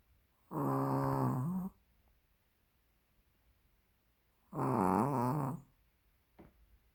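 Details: A plump sleeping Pomeranian named Tori snores indoors: two long, rough, harmonic-rich breaths about four seconds apart, each lasting roughly a second, with a faint click near the end.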